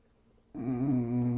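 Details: English Bulldog snoring while sleeping, so deeply asleep he won't wake up; after half a second of near quiet a low, droning, tonal rumble starts and holds steady with a slight wavering rise in the middle.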